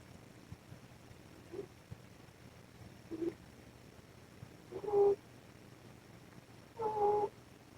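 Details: Sleeping mother cat, a foster rescue, snoring beneath a camera recording at maximum gain. Soft nasal tones come roughly every two seconds and grow louder, the last two with clear whistled overtones, over steady background hiss and low hum.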